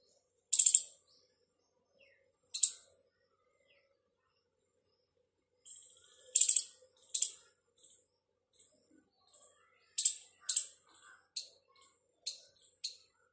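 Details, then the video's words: Squirrel making noise, said to be calling its partner: sharp, very high-pitched chirps in short bursts, some single and some in quick pairs, spaced unevenly over about thirteen seconds in a quiet setting. "squirrel's sound || squirrel making noise"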